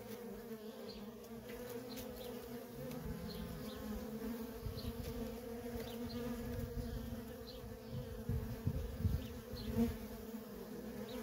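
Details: Feral honey bee colony with worker bees coming and going: a dense humming buzz, steady in pitch, over an uneven low rumble that grows louder in the second half.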